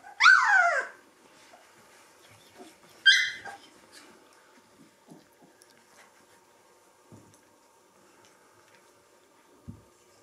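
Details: Three-week-old Gordon Setter puppies at cuddle time: two loud, high, sweeping squeals a few seconds apart, followed by near silence with faint shuffling and a couple of soft thumps.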